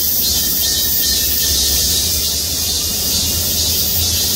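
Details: Massed cicada chorus in trees over the Gwangmyeong City Hall parking lot, a continuous high sizzling drone, with a steady low engine-like hum running beneath it.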